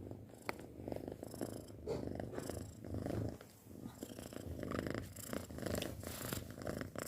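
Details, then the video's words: Purring of a six-month-old pet cat, a low rhythmic rumble that swells and fades with each breath, interrupted by brief soft clicks and rustles close to the microphone. "Suara Kucing Mendengkur"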